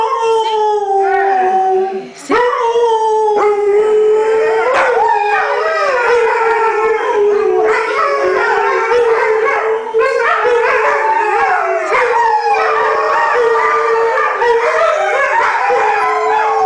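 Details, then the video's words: Household pack of six Alaskan Malamutes howling in response to their owner's coaxing; one long even tone holds throughout while layered wavering voices rise and fall above it, forming a continuous dense chorus. "Malamute singing woo woo"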